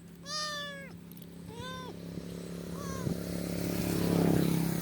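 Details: Kitten stranded in the middle of a highway, rescued by a biker: three short harmonic meows, each falling slightly in pitch, over the first three seconds, with a steady low engine hum and traffic noise swelling toward the end.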